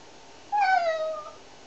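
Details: Single drawn-out, plaintive meow from a cat during a shampoo, one of three cats, falling slowly in pitch and fading out after nearly a second, in a quiet indoor setting.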